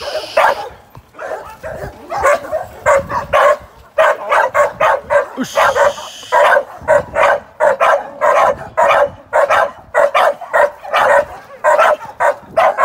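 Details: American Staffordshire Terrier, a young working sporting dog during training; sustained rapid barking, close to two barks per second, uneven in rhythm, keeping on for the whole stretch.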